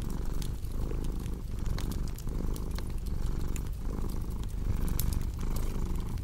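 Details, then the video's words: Rhythmic rumbling purr of a house cat, swelling and dipping with each breath, while a cozy fireplace crackles and snaps bright pops throughout. "Purring Cat with Cozy Crackling Fireplace Sound"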